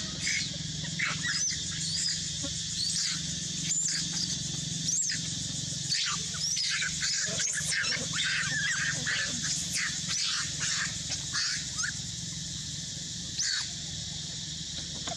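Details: Young mother monkey hurt by a king monkey, crying loudly as she tries to escape: sharp, high squealing cries in irregular bursts, some overlapping, over a steady background hiss.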